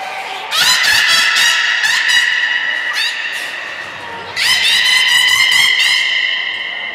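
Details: Beluga Nana in a training session at Port of Nagoya Public Aquarium, 13 April 2019, makes two long bouts of bright, honking harmonic whistles. Dense pulsed crackles run through them, with a short pause between the bouts.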